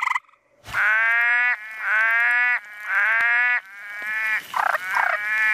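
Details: Frogs calling at night in their natural habitat: long, drawn-out nasal notes rich in overtones, each lasting just under a second, come in a steady run of four before shorter, rougher notes follow.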